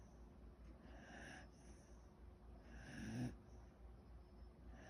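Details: Sleeping mixed-breed dog snoring in a human-like way: two soft, breathy rasping snores about two seconds apart, the second louder, over a low steady hum.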